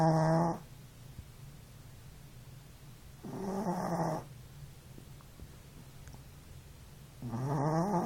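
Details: Cihuy, a male Chihuahua puppy, snores in his sleep: three clear, rasping, nasal snores, each lasting about a second, spaced roughly three to four seconds apart, with quiet low breathing between them.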